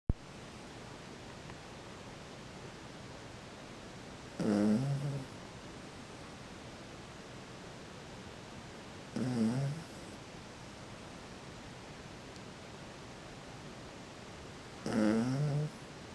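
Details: Toy poodle Nemuro asleep, pressed against a person's back like a clinging ghost, snoring rather than breathing softly: three low, rough snores about every five seconds, with quiet room hush between.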